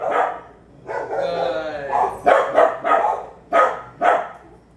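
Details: Barking dogs nearby as Waylon, a three-year-old Bulldog mix, trains in a private obedience session; a whining, drawn-out sound gives way to a quick run of hard, repeated barks, a few spaced bursts closing.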